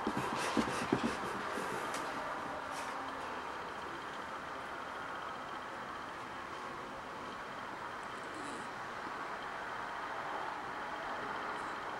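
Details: A steady whooshing hum of a hair dryer fills the recording, with a few faint knocks near the start. No animal voice can be picked out above the constant blowing noise.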